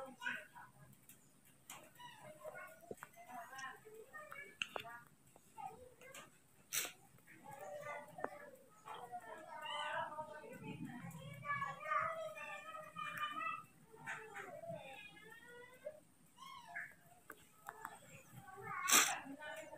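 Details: Pygmy marmoset; infant call; newborn calling for its mother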